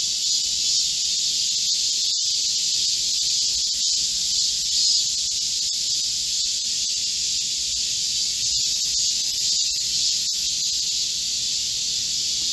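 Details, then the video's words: Midsummer chorus of Korean cicadas in a green forest amid a heatwave, 25 July 2024. A steady, shrill, sizzling drone fills the whole stretch without pause, with a faint click or two beneath. "Korean cicadas, a chorus in a midsummer green forest | 한국 매미들의 한여름 초록 숲속의 합창"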